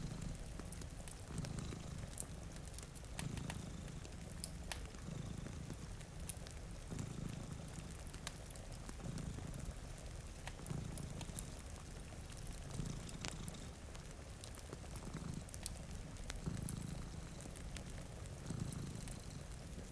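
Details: Low, rhythmic purring from two cats sleeping before a rainy window, each rumbling breath cycle about a second long, layered over soft rain and sharp snaps from a crackling fireplace.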